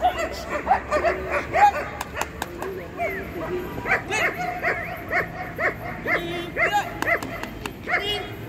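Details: At a dog show on 27 December 2020 for female German Shepherds aged six to nine months, clipped barks repeat steadily roughly every half second, with handlers calling and faint music in the background.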